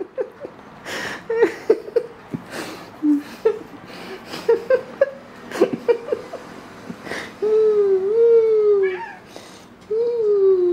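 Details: A pet cat with foxtail grass indoors gives drawn-out, wavering meows in the second half, two long tonal cries with a slight rise and fall, after a run of sharp clicks, taps and rustling.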